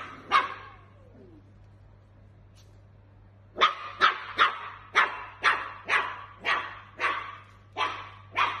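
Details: Dachshund puppy during play: one sharp bark, a quiet pause of about three seconds, then a brisk series of around ten short, crisp barks spaced roughly half a second apart, over a low steady hum.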